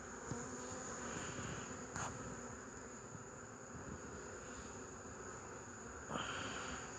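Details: A steady chorus of honey bees buzzing, recorded 8 March 2015, with a constant drone broken by a few sharp clicks and one louder buzzing pass late on.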